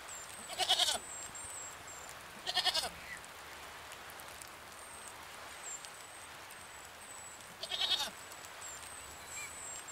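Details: Goat bleating three times, each a brief wavering burst a few seconds apart, while thin high whistled chirps, likely from birds, sound repeatedly in the background.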